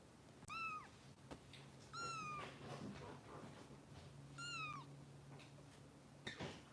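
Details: Kitten Harper, a Los Angeles rescue foster, mewing at bottle-feeding time: four thin, high mews, each bending up then sliding down, spaced about two seconds apart over a steady low indoor hum.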